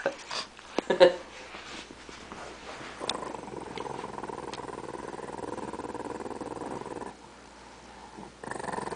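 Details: A pet dog named Lucky growls, frustrated as his bone is taken away; a steady, low rumbling growl lasting about four seconds follows short bumps and handling noises, with people talking softly indoors.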